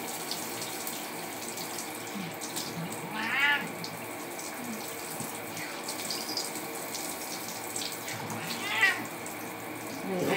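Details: Pet cat Simba meowing while being showered indoors behind a closed door, two short harmonic meows around 3.5 and 9 seconds over a steady hiss of running water.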